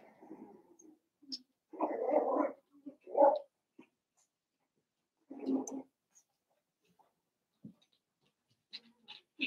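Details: Indoor puppy pen in a family home holding Cavalier King Charles Spaniel puppies, seven weeks old, Daisy's litter; short mid-pitched whimpering bursts repeat with gaps, with faint high squeaks near the end.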